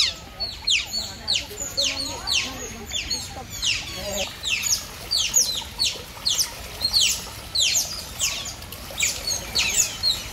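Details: Several otters chirping together: dense, shrill, downward-sweeping squeaks repeated in quick clusters about every half second, with a few fainter lower squeals beneath.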